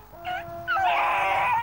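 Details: Beagle giving a short rising howl with a whine-like start, a brief tonal cry followed by a louder sustained, wavering note lasting about a second.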